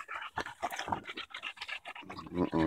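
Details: Daisy the Bulldog panting hard while fighting a branch on a walk in Erindale Park, July 2014; quick rhythmic breathy bursts, with a man's voice talking over parts of it and a louder harmonic sound near the end.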